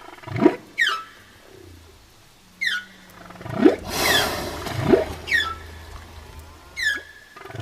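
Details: Whale song of quick rising whoops and sweeping upward notes spaced a second or two apart, mixed with a low steady hum and one longer broadband surge near the middle.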